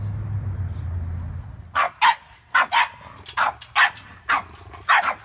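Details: Reactive, aggressive French Bulldog barking during training, a male that has bitten someone: after a low hum, loud sharp barks come in pairs and singles roughly every half second to second.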